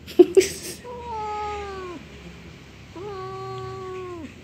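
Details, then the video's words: Angry orange house cat answering its owner on a rainy day: two sustained, tonal yowls, each about a second long with a gently sliding pitch that drops at the close, preceded by a couple of sharp taps or knocks. "cat angry sound"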